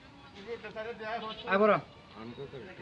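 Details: Goat stuck up a date palm and unable to get down gives a quivering, wavering bleat midway, preceded by softer vocal sounds and mixed with human voices nearby.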